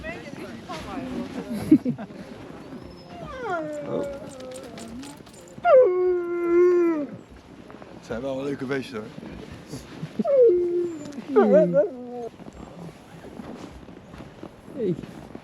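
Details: Siberian Husky sled dogs at a winter sledding experience near Ogre, Latvia, around -13°C: drawn-out harmonic howls and whines, sliding downward, several in a row, with people talking and laughing close by.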